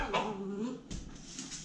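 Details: Sparky, a rescue Basenji, doing dog things: a short whimpering whine that slides down in pitch, followed by a brief breathy yip, with a person's voice speaking to the dog nearby.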